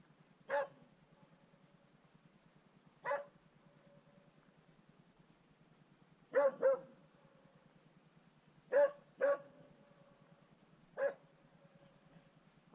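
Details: Swix, a dog, baying at his first wild boar: single loud barks spaced two to three seconds apart, some in quick doubles, with about seven barks over a quiet background.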